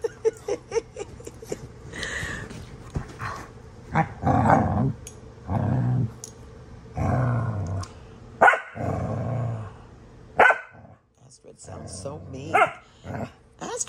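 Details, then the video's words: Pet dog Astrid, named, growling while playing rough with another dog, Brielle, indoors: deep rumbling growl bursts of one to two seconds, repeated several times with brief pauses and a few sharper barks. "Astrid! & Brielle horsing around! Astrid sounds so mean!"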